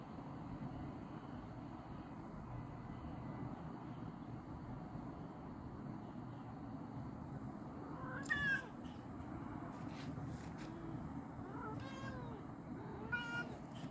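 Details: JJ, a cat, calling out to another cat: after eight seconds of steady low background rumble, three arching, tonal meows sound in the second half, each rising then falling, with a few faint clicks between them.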